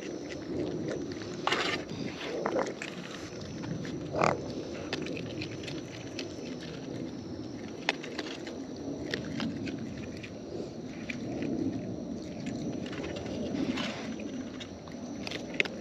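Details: Close-up feeding sounds of wild raccoons: repeated crunching and gnawing clicks spread through the recording, with a few louder bites standing out against a constant background murmur.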